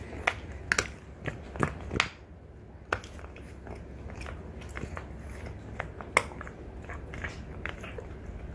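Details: Two female French Bulldogs, mother Ume and daughter Roku, gnaw deer antlers indoors; sharp crunching clicks and scrapes come in bursts, loudest in the first two seconds, then lighter irregular gnawing over a low room hum.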